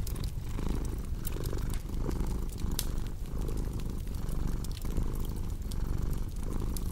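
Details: Cat purring beside a crackling fireplace: a deep, continuous rumbling purr that swells and eases with each breath, roughly every second, under sharp scattered crackles and pops from the fire.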